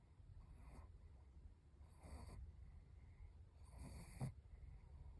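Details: Snores from a Chihuahua lying in the sun: three short, hissing breath bursts spaced nearly two seconds apart, the last one ending in a small snort, over a quiet low rumble.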